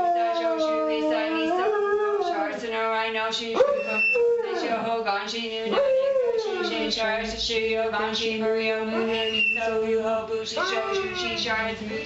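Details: Domestic three-legged dog howling with chanting and soundtrack music; repeated upward-sweeping howls, several in a row, each gliding down again, laid over steady droning human chant.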